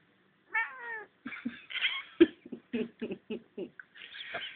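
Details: Domestic cat kept awake by its owners late at night in front of a heater gives a short wavering meow, followed by people laughing and talking close by in a small room.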